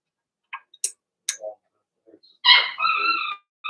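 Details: Blenheim Cavalier King Charles Spaniel puppies from a litter of six, kept in an indoor pen during potty training. A few scattered yips and clicks lead into a loud, sustained squealing cry with strong harmonics, and another squeal starts at the end.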